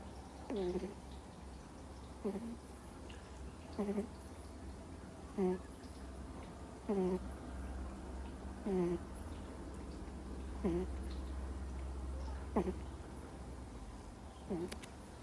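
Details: Sleeping Miniature Schnauzer puppy, two months old, snoring deeply: short squeaky, descending nasal snores repeating about every one and a half to two seconds, a few fainter near the end, with a low background hum.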